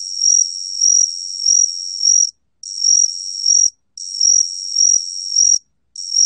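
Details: A 각시귀뚜라미 cricket sings a high, steady trill, pulsing in short waves and broken by brief pauses; recorded in 2020.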